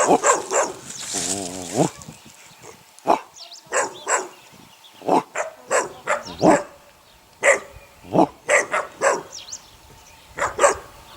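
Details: Six eight-week-old puppies of a neighbour's dog: a busy chorus of short high yelps and squeaky barks tumbling over one another, with one wavering whine rising and falling early on.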